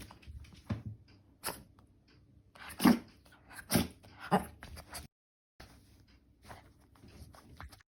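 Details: Shih Tzu dog named Mero sneezing: three sharp, breathy, snorting bursts in quick succession, each under a second apart, followed by quieter snuffling and soft rustling.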